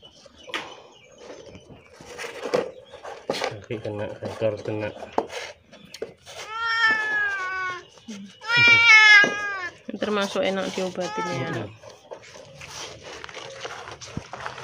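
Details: A starving, thirsty cat badly sick with scabies, crying as it seeks help: after some talking, four or five strong, wavering meows come close together and climb in intensity, the loudest near the middle, mixed with a person's voice and handling noise.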